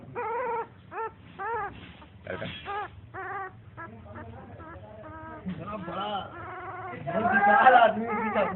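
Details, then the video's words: A newly born puppy squeals in quick, irregular bursts of thin, wavering cries, about three per second at times, getting louder and more strained toward the end. "Newly born puppy making noise"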